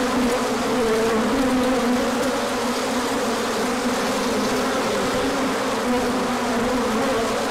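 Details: Many bees in a large orientation flight on a sunny spell following cold days, March 2024: an unbroken, thick buzzing with low humming tones that shift slightly, many insects overlapping, no other sounds standing out.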